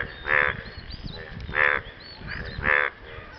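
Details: One frog courting after rain: three loud, harsh, buzzy croaks about a second apart, each short and abrupt, with quieter croaks and low rustling between them.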